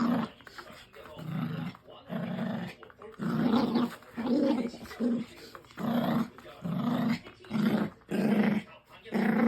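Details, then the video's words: Dog making strange sounds while playing tug: low, rough growling bursts that come in a steady rhythm of roughly one per second, with short quiet gaps between them. "터그놀이할때 이상한 소리를 내는데.."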